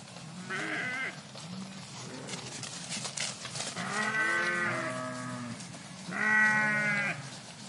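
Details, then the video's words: Sheep in a flock in a park giving loud harmonic bleats, three main bursts at intervals of a few seconds, with lower bleats from other animals overlapping and a brief noisy rustle between them. "Flock of Sheep in Park Sound Effect"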